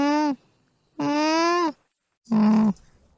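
An alpaca gives three soft, nasal hums, each steady in pitch, the last one lower and rougher.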